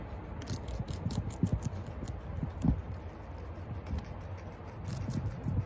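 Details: Guinea pigs Toffee and Chia eating celery in a close ASMR recording: crisp crunching bites arrive in scattered bursts of sharp clicks over soft low thumps, with quieter pauses between mouthfuls.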